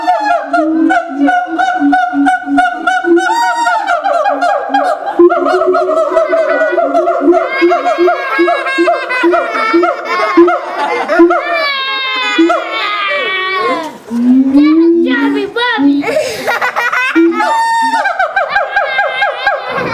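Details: Siamangs at Auckland Zoo, New Zealand, on September 11, 2012, going wild and making a fuss loud enough for the whole zoo to hear: rapid rhythmic harmonic hoots and rising whoops, building in intensity, with high shrill notes layered over them.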